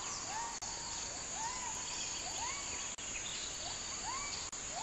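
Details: Gibbon in rainforest giving curved, upswept whoops at about one per second, partly masked by a loud, high hiss of insects.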